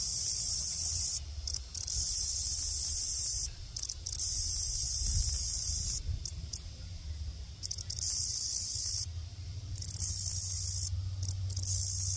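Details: Grasshopper; mating call; attracting a mate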